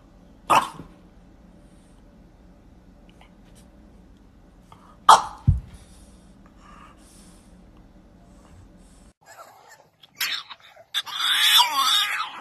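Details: French Bulldog giving two sharp, breathy snort-like bursts a few seconds apart, followed by quieter scattered rustles and a burst of broadband noise near the end.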